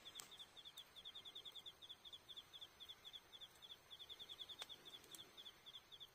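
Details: Autumn insects on the night of October 20 at a campsite in Iyo Province, Japan, beside a campfire: a steady run of high, rapid pulsed chirps in short trills, with a few sharp crackles from the fire.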